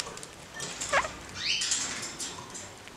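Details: A caged pair of kakariki, given more space and playing acrobatically and curiously; one short sharp note, then quick high chirps that sweep up and down, over light rustling and tapping in the cage.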